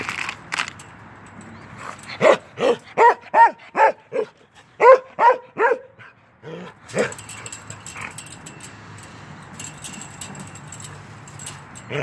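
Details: Norwegian Elkhound Keweenaw, a young male of 10 months, playing through a fence, lets out a rapid volley of about a dozen sharp barks in the first half, then fainter sounds and hiss-like background noise.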